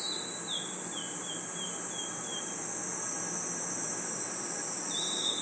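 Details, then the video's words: Crickets and other insects chirping at night in a forest: a steady, unbroken high-pitched shimmering trill throughout, with a short run of descending whistled chirps early on and another near the end. "Crickets & Insects Chirping Sounds"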